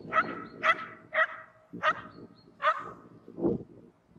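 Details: Shetland Sheepdogs playing on snow crust in Joensuu, Finland, on 12 April 2020; five sharp, high barks come about half a second apart, then a lower, rougher yelp, with soft scuffling and faint thin chirps behind.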